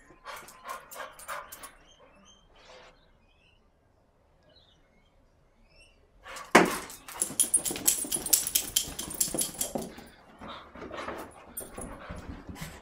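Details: An English Cocker Spaniel, excited after his wash, gives short yelps and whines amid bursts of scrabbling, thumping noise.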